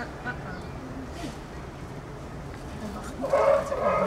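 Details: A young sea lion at Blijdorp zoo gives a brief, harmonic bleating call over a murmur of background voices.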